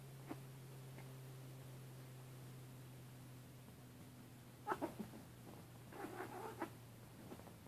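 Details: Siamese cat wrestling playfully with an orange tabby kitten; after several quiet seconds of low electrical hum, short harmonic cries and soft thumps erupt in two bursts near the end.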